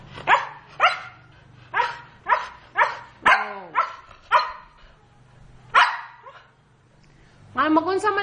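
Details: Large pet dogs barking in a steady series of sharp, broadband barks roughly every half second, with a pause and then a final harmonic, voice-like sound at the end; a person tells a dog to stay.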